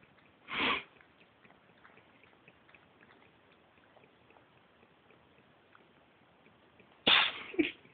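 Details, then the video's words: Monkey, a pet cat, in a sneezing fit indoors: two sharp, breathy bursts, one early and a double sneeze near the end, separated by quiet room hiss. "Cat Sneezing"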